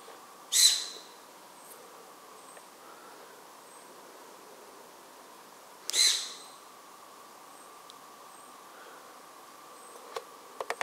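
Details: A Formosan serow (Capricornis swinhoei), hiding where it was spotted by eye, gives two sharp, hissing snorts about five seconds apart.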